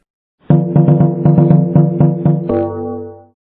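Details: A low, droning musical instrument pulses rhythmically about four times a second, then holds a steady tone. No animal voice can be picked out.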